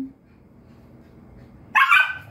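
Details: Pet dog playing with another dog, letting out a single sudden loud bark after a stretch of low background noise.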